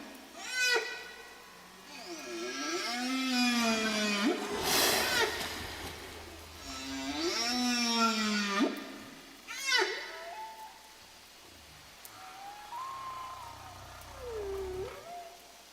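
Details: Whale song from oceanographer Robert Payne's recording, released with National Geographic magazine in 1979: long, rich moans that swoop up and down, mixed with brief squealing upsweeps.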